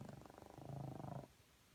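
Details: French Bulldog snoring in the morning: a low, fluttering rattle of rapid pulses lasting just over a second, growing slightly louder before stopping abruptly, then quiet.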